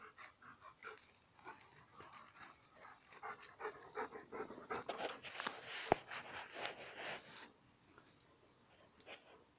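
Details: Fighting dogs on gravel, a dense run of panting, grunting growls and scuffles building to a loud tussle midway, then easing into quieter breaths.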